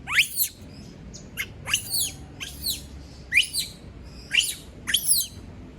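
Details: Pet female monkey screaming after being left alone: a series of shrill, high downward-sweeping shrieks, about one every second, in short bursts over a faint low background hum.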